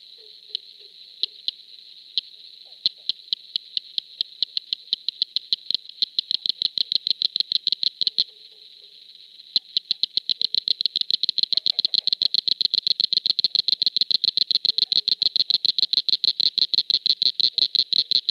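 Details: Eastern cricket frog of Tennessee, male song: sharp clicks like stones, marbles or glass tapped together, starting as a few slow, spaced taps, then speeding into a rapid, steady clicking run after a brief pause, over a constant high insect-like hiss.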